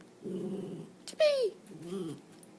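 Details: Pet dog Chip, eager to see his owner, gives a single drawn-out falling whine with bright harmonics, preceded and followed by a woman's low coaxing voice asking where his owner is.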